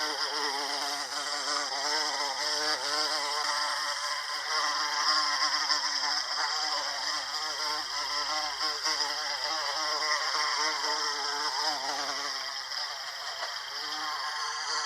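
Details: An American bumblebee (Bombus pensylvanicus) visiting Salvia clevelandii for pollination gives a sustained, fluttering drone whose layered tones rise and dip. The drone eases off near the end, with faint chirps above it.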